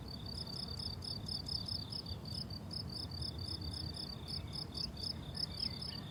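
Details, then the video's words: Crickets on a blooming summer meadow: rapid, evenly pulsed high chirps repeat several times a second in steady trains, with at least two callers at slightly different pitches, over a constant low rumble of wind or distant noise. "Relaxing Cricket Sounds on a Summer Meadow"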